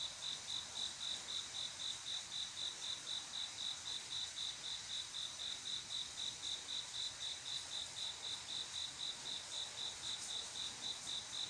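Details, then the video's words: Late-night cricket song on a quiet summer evening, a male's call to attract a female: a long, unbroken sequence of piercing, evenly timed chirps at about four per second over a steady faint hiss. "조용한여름밤 귀뚜라미소리"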